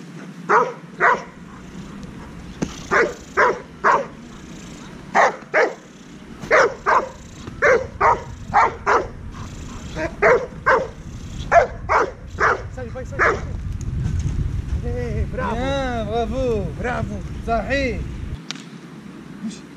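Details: Young Dobermann, 10 months old, barking in a fast run of sharp woofs, then a few whining, wavering yelps near the end over a steady low rumble.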